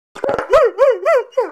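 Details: A male Weimaraner, grounded for escaping the yard and wanting to go out, grumbles back in a quick run of short, arched howls that rise and fall like talking.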